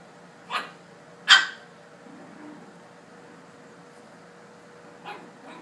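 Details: Puppies on their first time using the stairs, one giving two short sharp barks close together near the start, then faint yelps toward the end over a quiet room with light hum.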